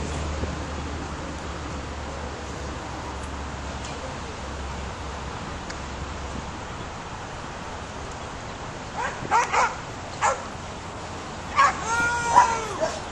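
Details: Young caramel-coloured Australian Shepherd at work herding sheep; after nine seconds of low rumbling background, clusters of quick barks and yips break out near the end.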